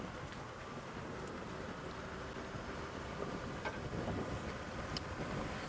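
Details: Steady broadband rumble of vehicle and wind noise with a few faint clicks, and no animal voices.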